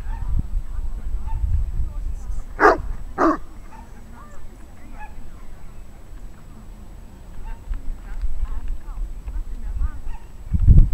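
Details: At a class 2 rally obedience trial on 17 July 2016, Chester, an overmotivated Saint Bernard, lets out two abrupt, deep barks about half a second apart. Wind-like rumble and faint distant chirps fill the rest.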